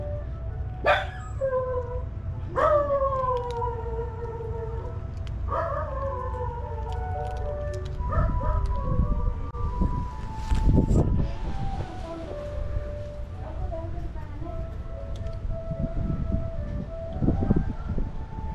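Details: Domestic dog howling along as a time-signal chime melody plays; three drawn-out howls slide downward in the first six seconds, then the steady chime notes sound while fainter howls and rustling continue over a low background rumble.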